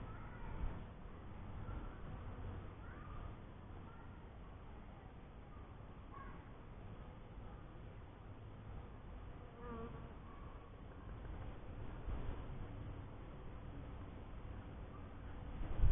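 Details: A first hive of honey bees hums with a continuous deep, low buzz. Faint short chirps rise above it now and then, and a sharp knock is heard at the very end.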